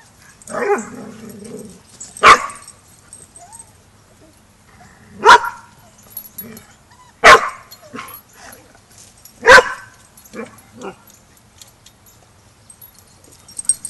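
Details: Dogs at a Border Collie boot camp as a young, clueless pup joins the pack for its first lesson in pack etiquette; four sharp, loud single barks spaced two to three seconds apart, a man calling out at the start.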